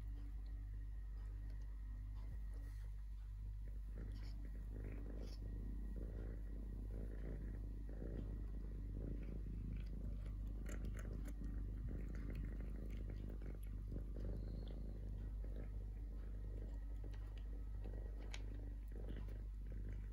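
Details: Deep, pulsing purr of a male stray kitten named Totoshka, rumbling steadily for twenty seconds while light ticking and rustling sounds come and go on top.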